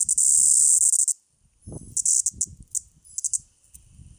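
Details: Floury baker cicada (Aleeta curvicosta), held in a person's hand, gives harsh, high buzzing song bursts that stop and start while a person speaks quietly.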